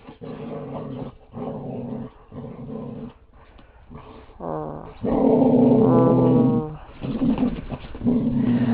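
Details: Jack, a pet Border Collie, playing with a squeaky toy: a run of low rumbling growls in short bursts, then louder drawn-out harmonic growl-whines in the second half.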